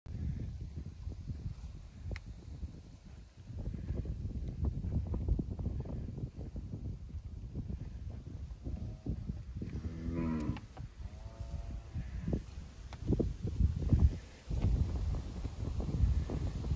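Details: Charbray heifers in a herd of 120: two short, throaty moos midway through, nearly overwhelmed by loud gusting wind rumble across the microphone.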